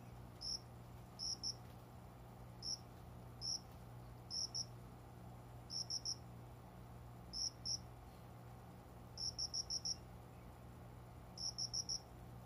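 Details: Unseen cricket singing indoors among windowside plants around dawn, after 5 a.m., in summer. Clear high chirps come in pairs, threes and bursts of four or five, spaced a second or so apart, over a steady low hum.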